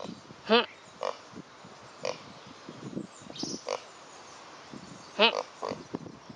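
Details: Pot-bellied pig on a walk on a hot summer day, giving short, separate grunts spaced about a second apart, a couple of them louder and more tonal, with faint birdsong and a person's voice nearby.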